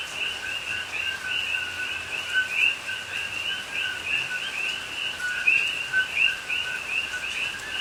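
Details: Night chorus of coqui frogs in rain-soaked Hawaiian rainforest near Pahoa, recorded October 2021; numerous frogs overlap in constant two-part calls, a low tone and a brighter upswept chirp, over continuous rain hiss.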